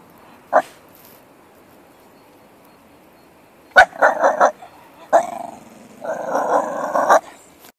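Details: Miniature Bull Terrier in protection training, giving a single sharp bark, then a quick burst of several barks, another bark and a longer rough, growling bark run, with quiet gaps between.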